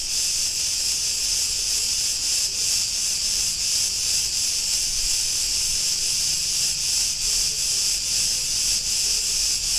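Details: Chorus of Cretan cicadas recorded on a street in Ierapetra, Crete, Greece, an unbroken high hissing drone that pulses slightly about two or three times a second, with almost nothing else audible.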